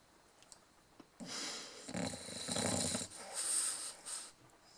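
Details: English bulldog snoring softly: breathy, wheezing snores in several uneven bursts with a hissing, whistly edge and short pauses between breaths.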